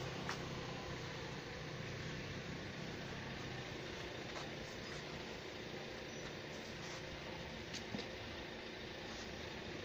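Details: Steady engine and traffic rumble at night fills the recording, with scattered faint clicks and distant voices but no audible animal call.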